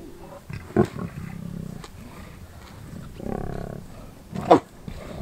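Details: In South Africa's Kruger National Park area, lions feeding on a wildebeest they killed; soft low growls are punctuated by three sharp, loud snarls, spaced roughly one to two seconds apart.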